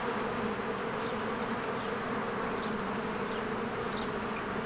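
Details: Spring honeybee swarm working at a cozy hive, bees flying in and out; thick continuous drone of many wings, even in loudness, with a few faint thin bird chirps overhead.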